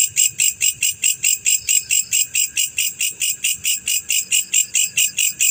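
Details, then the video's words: Black male cricket, called jangkrik pejantan, producing an even train of sharp, ringing chirps at roughly 136 per minute, each pulse evenly spaced, with faint low background rumble. "SUARA JANGKRIK PEJANTAN"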